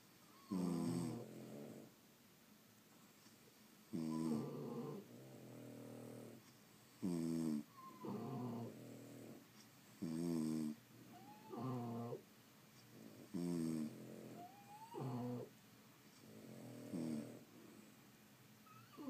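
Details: Snoring French Bulldogs sleeping indoors, a rhythmic series of rasping, gurgling snores about every three seconds, some breaths ending in a thin rising nasal whistle.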